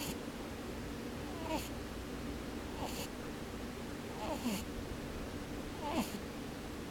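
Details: Sleeping rabbit with its eyes open, snoring with soft puffing "pu-pu, bu-bu" sounds. Each breath brings a brief hiss with a squeaky falling whistle, repeated about every one and a half seconds, four times over a quiet steady background.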